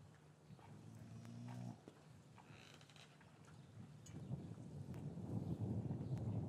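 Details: Cow lowing in a traditional English cattle yard on a winter afternoon, with calves separated from their mothers; recorded on a matched pair of Rode M5 microphones. One low, droning moo lasts about a second, followed by shuffling and rustling as the animals move about.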